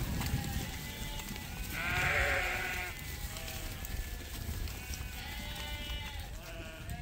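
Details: Flock of sheep waiting on a farm in the morning to go out to pasture; two drawn-out, trembling bleats, one midway and one near the end, over a busy background hum.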